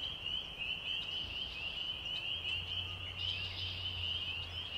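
A dense night chorus of spring peepers, countless high, piping peeps overlapping into a steady shrill shimmer, with a faint low hum beneath.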